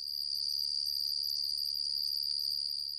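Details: Periodical cicadas calling together in a large group, their loud sound made by a tymbal organ on each side of the body; a steady, shrill, continuous high-pitched drone with a fast pulsing flutter and no other sounds.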